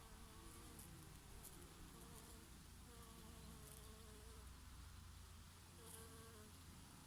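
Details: Bees and the odd bumblebee foraging on oregano flowers in summer: overlapping low, steady wing hums, several insects drifting in and out, set against a constant rushing summer breeze.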